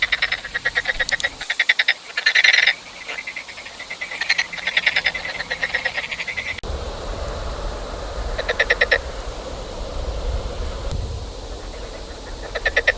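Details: Frog chorus of pulsed, clicking croak bursts, loud in the first half, then fading under a steady low rumble with only a few scattered croak trains near the end.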